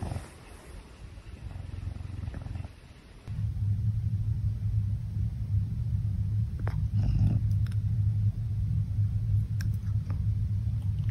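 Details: Pumba, a pet caracal, cleaning his paws; a steady low rumbling purr sets in after about three seconds and runs continuously to the end, with a few faint clicks and rustles above it.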